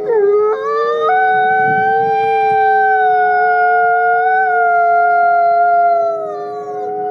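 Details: Captive-born gray wolf Nikai at the Wolf Conservation Center, South Salem, New York: a howl opening with quick rising steps, then a smooth, level, drawn-out tone lasting about five seconds before dipping downward, with a second overlapping voice audible.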